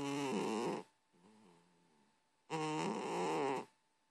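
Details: A cat snores in its sleep: a loud rasping inhalation, then a softer, lower exhalation, then another loud rasping breath, over a faint constant background hum.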